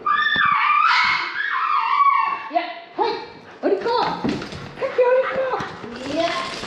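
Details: Shiba Inu Kaki-Maru, aged 4 years 3 months, screams in a Dutch vet's exam room during his yearly injections. Loud, harmonic wails bend up and down in a run of broken cries, mixed with human voices and handling noise.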